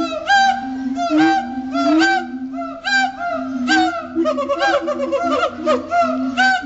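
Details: Siamangs at a zoo the day after Christmas, singing their territorial duet song: loud, rising and falling whoops and barks stacked in bright harmonics, overlapping calls repeating about once a second, swelling and ebbing in loudness.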